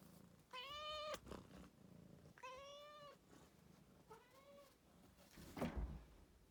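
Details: Rescued house cat calling with three successive meows that fade in strength, followed by a sharp knock-like click near the end of the recording.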